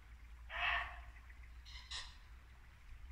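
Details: A single loud, rough bark from a muntjac deer in late-winter Norfolk woodland at dusk, followed by a softer, higher burst about a second later, over the constant low rush of a brook.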